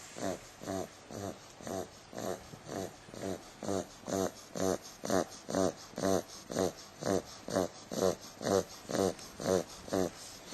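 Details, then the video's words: Female 8-week-old Bulldog puppy sleeping indoors, snoring steadily: soft raspy snorts repeated about twice per second in an even, regular rhythm. "Bulldog pup snoring"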